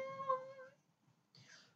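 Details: Maine Coon from a Saint Petersburg, Russia breeding cattery gives a single drawn-out mew that rises slightly in pitch over three-quarters of a second, then falls silent before a brief airy rustle.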